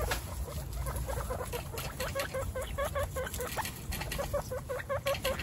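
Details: One-week-old baby guinea pigs, the babies Snow, Pistachio and Pumpkin in a household of 29 guinea pigs, give short, rapid, repeated squeaky chirps, several per second, over a low rumbling background.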